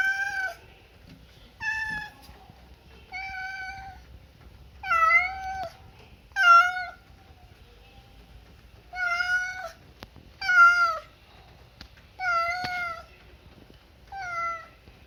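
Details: Pet cat meowing indoors, about ten clear meows spaced one to two seconds apart, each a bright, slightly wavering note that bends downward at the end, over a quiet background.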